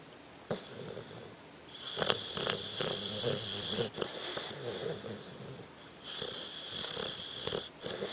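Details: Tucker, a pet dog, snoring while asleep indoors: raspy, breathy rattling snores in long bursts with fluttering low tones and hissy noise, pausing briefly between breaths.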